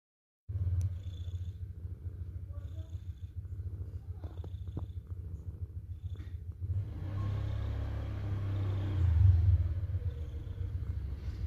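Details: Domestic cat purring, a rapid, steady low rumbling pulse throughout that grows louder and rougher in the second half, with a few faint clicks and handling noises.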